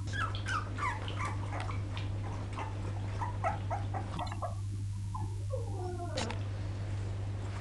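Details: Poodle puppies recorded in 2012, a cluster of high, overlapping whimpering squeals crowding the first four seconds, then fading to a few scattered cries, over a steady low electrical hum.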